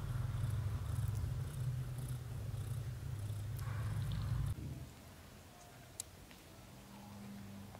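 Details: Purring from a British Shorthair litter, kittens aged up to 30 days: a deep, even, pulsing rumble for about four and a half seconds, fading into quiet room noise with a faint soft hum.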